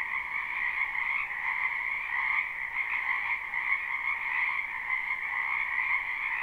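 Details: Loud chorus of many frogs croaking in a spring wetland, a live recording with no looping; pulsing, overlapping trills rise and fall gently in volume while holding two clear pitch bands, with almost no low noise.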